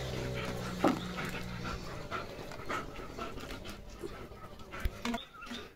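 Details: Leo, a German Shepherd, plays with a pipe in his mouth on a rainy morning, panting in soft, rough, breathy bursts over steady rain noise, with one sharp clatter near the start.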